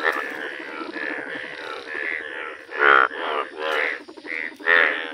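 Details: Several yellow Indian bullfrogs croaking in a village: slower, separate grating croaks about every half-second to second, a few louder calls standing out over a murmuring chorus.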